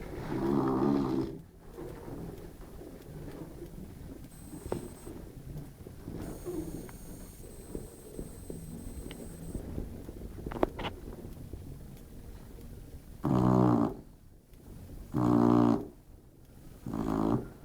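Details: Modesto the Labrador dozes and snores: one low buzzy snore opens, then a long quiet stretch of soft room noise, then three more rasping snores in close succession at the end.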